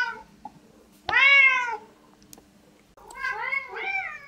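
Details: Cats at a home breakfast table; two meows, the first loud and arched, the second lower and wavering, with faint clicks and room hum behind.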